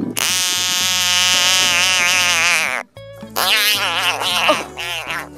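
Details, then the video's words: A frog, described as throwing a tantrum, gives a long, loud, harmonic scream that wavers slightly for almost three seconds, breaks off, then resumes in a second rougher, wavering bout. Low steady tones sound underneath. "Frogs love Throwing Tantrums !"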